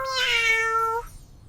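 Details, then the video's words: Domestic cat giving a single clear meow about one second long, a steady tonal cry with rich harmonics that opens brightly and ends abruptly, followed by faint background hiss. "Cat – Meow Meow"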